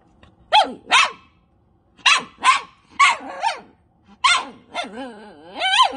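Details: Pet dog screaming at a cat: sharp high yelping barks in pairs and short bursts, some stretching into wavering, warbling howls near the end, with quiet pauses between groups.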